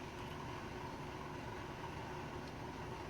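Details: A steady, broad low rumble like passing vehicles or a train fills the clip, with no animal voice heard.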